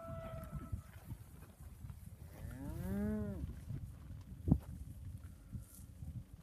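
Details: One Angus heifer, from a lot of thirty, lets out a single arching moo that swells and fades over about a second. A sharp knock follows, with low background rumble throughout.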